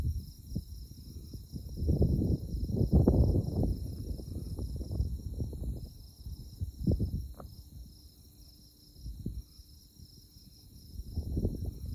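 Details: Chirping insects at night in Konza Prairie's tallgrass near Manhattan, Kansas, moonlit: an even, high, beaded trill continues throughout beneath heavy bursts of low wind buffeting.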